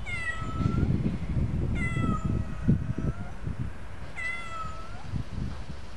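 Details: Turkish cat, a pet kitten, giving three clear rising-then-falling meows spaced about two seconds apart, each with bright stacked harmonics, over steady low rumbling background noise and faint handling sounds.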